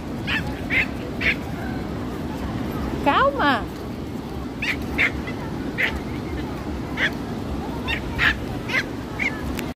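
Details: A stressed female Pinscher at the beach gives sharp, high yaps in quick bursts over steady surf noise; she starts barking as soon as she arrives.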